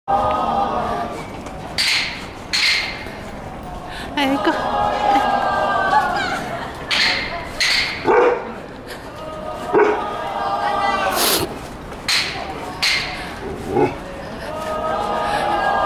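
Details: A 6-year-old Akita, frightened on first meeting the year-end fire-watch patrol, gives uneasy, wavering whines and yips as sharp wooden clapper knocks ring out repeatedly, with human voices in the background.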